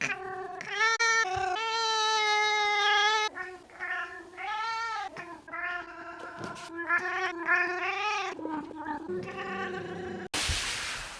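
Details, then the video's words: Loud yowling by a pet cat: a rapid string of wavering, arching wails and meows of varied length, ending in a brief burst of rough broadband noise. "Cat Making Wierd Noises"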